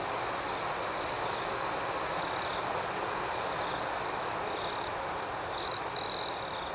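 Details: Crickets chirping at night in a steady high-pitched drone with rapid rhythmic pulsing, ending in two brief, louder shrill trills.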